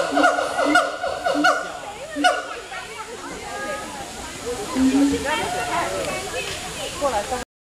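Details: A couple of monkeys at Singapore Zoo, swinging in trees, howl together in a chorus of hooting, wavering calls over a steady background hiss.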